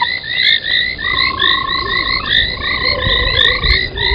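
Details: Frogs calling at an old foam nest at a waterhole on a South African game reserve, night, 03:40 in late January: rapid overlapping chirps layered over a long steady whistled tone, with a dense continuous chorus throughout.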